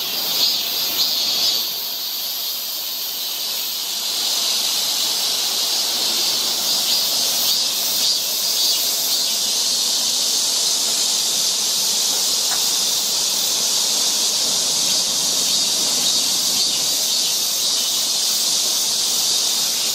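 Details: Cicadas along a forest trail in Seoul, Korea, in summer, their song a dense, steady high-pitched drone that fills the whole stretch without a break, with a faint brief squeak near the start.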